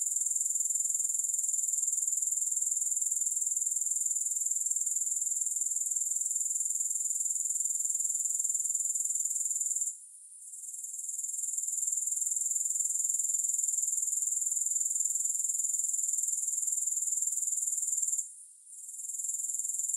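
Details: Grasshopper sound with no music: an unbroken, sharp, high buzzing pulse-train, steady in loudness, interrupted by two brief pauses roughly eight seconds apart before resuming.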